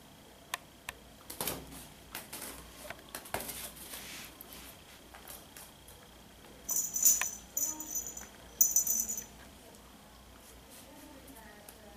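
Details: Quiet indoor rattling, jingling and scattered clicks are heard, with two short bursts of high electronic tones, and no animal voice.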